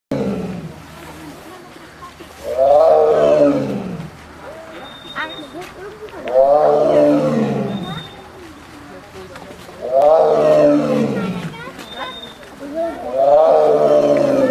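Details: Siberian tiger giving deep, drawn-out moaning roars, each swelling and then falling over about two seconds, repeated four times roughly every three to four seconds, with a faint high whistle-like tone between calls.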